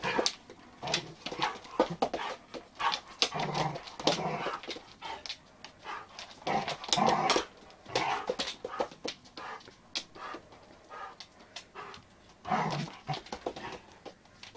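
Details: Daisy, a one-year-old Giant Schnauzer, whines and yelps in quick uneven bursts, with breathy panting between them and a short louder flurry near the end.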